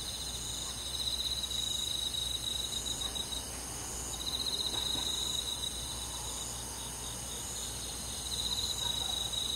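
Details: Summer-night crickets among forest insects: a constant high-pitched ringing chorus broken by bright pulsed trills that start and stop every few seconds, over a soft low hum.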